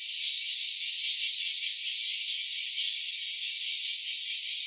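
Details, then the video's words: Cicada calling in stereo, a dense continuous buzzing rattle held high in pitch, steady in loudness with a fast pulsing texture throughout; nothing else audible. "Cicada's voice."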